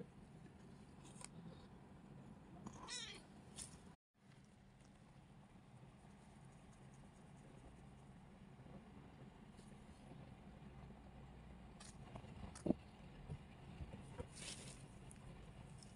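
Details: Kitten seeking attention, giving a drawn-out, wavering meow early on and another short meow near the end, separated by a long stretch of steady low background hum indoors.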